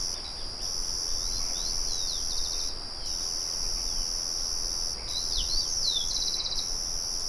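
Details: A nature recording of cricket song with a windmill murmuring behind it: a high, even, ringing trill that stops in short gaps about every two to three seconds. Quick descending bird chirps and twitters sound in between.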